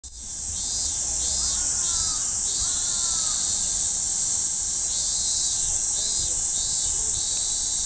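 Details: A cicada, recorded on 1 July 2015, sings a loud, steady, high-pitched buzzing drone that never lets up.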